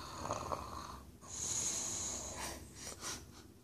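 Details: Tricoloured English Bulldog asleep, taking an evening nap before bedtime indoors: rough, wheezy snoring breaths with a hissy, snorting drawn-out inhale in the middle, then fainter breathing as it fades.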